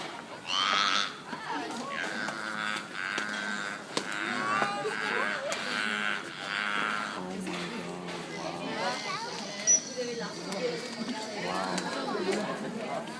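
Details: Beluga whales at a Vancouver aquarium show give varied squeals, whistles and nasal, mooing tones, with a person talking over them.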